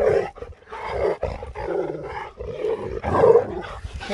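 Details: Husky Sherpa, who slept the whole journey, waking up to a surprise as a very happy, shocked dog: a run of drawn-out, harmonic woo-like vocal sounds, rising and falling in short bursts with brief breaks between them.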